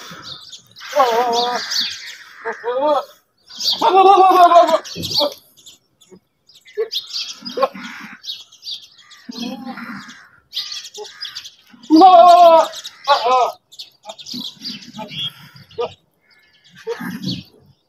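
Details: Goats in open fields, heard in short bursts of wavering, nasal, harmonic bleats, the strongest near the start and again later, separated by quiet gaps with scattered fainter calls and noises.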